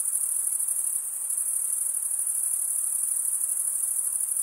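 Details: Many crickets stridulate together in a constant, piercing high trill with a slight rhythmic flutter. Only a soft low hiss sits underneath.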